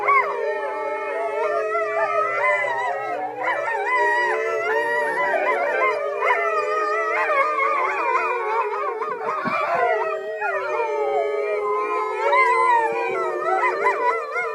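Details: Group of rescued wolves carrying a fraction of dog ancestry, kept at a sanctuary, February 2013, in a sustained chorus of many overlapping, wavering howls at different pitches, steady and loud throughout.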